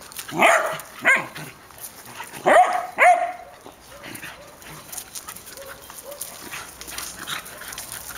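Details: Airedale Terriers and a Welsh Terrier of the Syrius-Laybel kennel, with Poldi's Janin: a few short, hoarse barks, two pairs in the first three seconds, then softer scattered yips over steady background noise.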